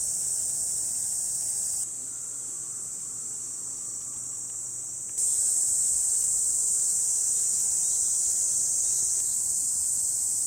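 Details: Cicada chorus on a hot July 2021 day in the Hiroshima Prefecture countryside, Japan: a sustained high, sizzling drone, quieter for a few seconds and then swelling louder and fuller toward the end.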